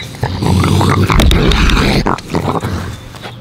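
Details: Raccoons arguing and fighting over food, loud low rough growling and snarling with harsh bursts, a man's voice greeting them nearby.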